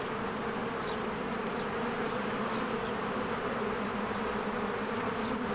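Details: Many honeybees work around their hive in spring among blooming flowers, making a constant layered hum with steady low and mid drones. A couple of soft, short bird notes are heard near the start. Recorded with a Canon EOS R.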